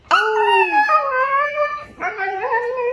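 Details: Siberian Husky howling: a sustained, tonal, harmonic-rich wail that starts high and sags downward, pauses briefly, then resumes with a second wavering, talk-like howl.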